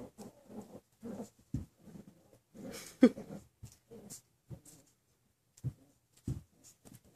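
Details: Six-week-old Miniature Schnauzer puppies at play, giving short, low, rough growling grunts in quick bursts with pauses between, one sharper yelp-like note midway, plus soft scuffling.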